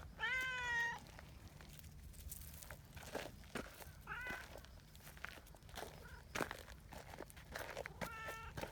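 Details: Meows from community cats gathering as a trio on a bench after a meowing signal: a loud, steady meow opens, followed by two softer, shorter meows several seconds apart, with rustling, footsteps and light outdoor background noise.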